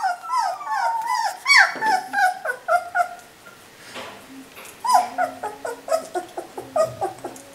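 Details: Three-week-old puppies whimpering indoors: a rapid run of high, whiny cries that slide downward, some drawn into longer wavering whines, repeated several times a second with brief pauses.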